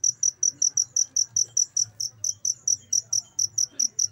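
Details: Chirping cricket, recorded for tutoring caged songbirds. It gives rapid, bright, high-pitched pulses in a fairly even train, with a brief skip near the middle, over a quiet low background rumble.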